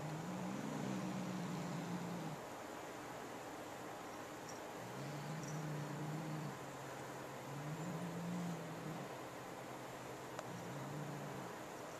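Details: Domestic cat growling at its owner and little sister while guarding a new feather toy it won't share; low, drawn-out rumbling growls of about two seconds each, repeated four times with short pauses, over steady room hum.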